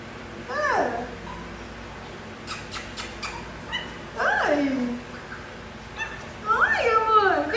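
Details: Whimpers from German Spitz puppies: three separate bursts of high, sliding cries that sweep downward, spaced a few seconds apart, with soft tapping clicks between them in a quiet room.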